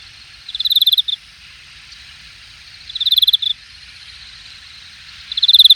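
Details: In late-summer grass at Hangang Park, Jamwon district, Korea (August 2021), an insect gives rapid pulsed chirps, each ending in a brief stutter, repeated about every two and a half seconds over steady background insect hum.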